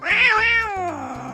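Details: Domestic cat indoors giving one loud, drawn-out meow that rises quickly then slides steadily downward over about a second, richly harmonic, with soft background music.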